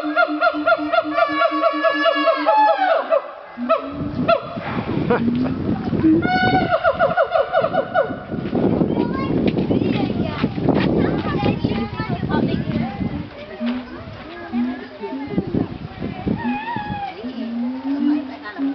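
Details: Siamangs at Dubbo Zoo give loud, ringing screams of stacked tones that swoop up and down, then break into rough, barking outbursts, apparently calling because they didn't want the visitors around; people's voices and laughter in the background.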